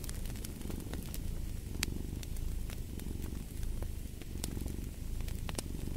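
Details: Steady, throaty purring of a cat beneath a crackling fireplace, whose quick dry pops and clicks punctuate the soft pulsing rumble.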